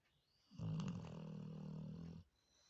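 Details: Sleeping Labrador Retriever giving a short, low, rumbling snore of under two seconds, slightly wheezy at the start, very loud and humanlike, then quiet.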